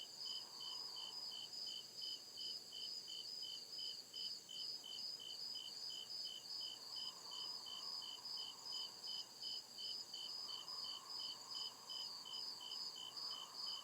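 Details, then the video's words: Crickets chirping through the night in deep woods: a long run of regular high pulsed chirps, roughly two or three each second, over an unbroken high trill, with a faint lower buzz rising and fading. "CRICKET CHIRPING SOUND"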